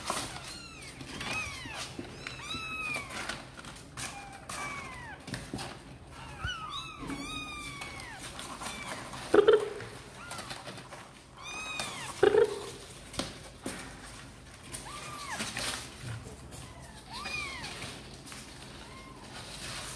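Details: Kittens that seem to want to come out and play, high arched meows repeated from several kittens, some overlapping, with occasional louder clicks and knocks indoors.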